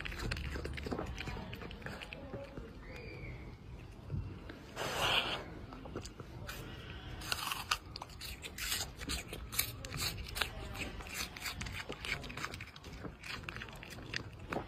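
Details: Red panda munching on an apple, giving steady wet crunching and biting noises, with one louder burst midway and quiet human talk behind.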